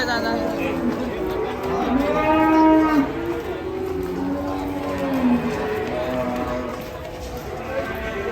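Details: Agitated cattle bellowing: several long, drawn-out moos overlapping one another, the loudest rising and then held steady around two to three seconds in, followed by lower, wavering moos, with steady background noise throughout.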